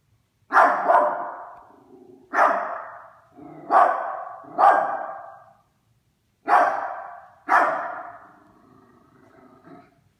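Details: Harry, a Yorkshire Terrier, barking at a Christmas stocking: sharp, loud barks, singly and in quick pairs, each trailing into a short rough tail, with pauses of one to two seconds.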